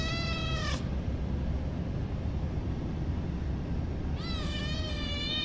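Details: Hungry baby kitten giving two clear, tonal meows: a drawn-out falling cry at the start, then a long gap, then a second meow that wavers and trails off near the end. A steady low rumble runs underneath throughout.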